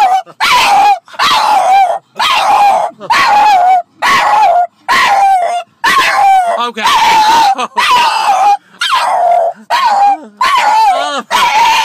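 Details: French Bulldog too excited to contain himself in the car on the way to doggy daycare on a Saturday; loud whining howls with wavering pitch, repeated about once a second in long bursts separated by short gaps.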